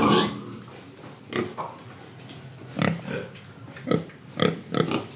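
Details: Pig from Indonesia, breathing and eating, produces short low grunts in small clusters, one opening the passage and several more in quick succession over the final seconds.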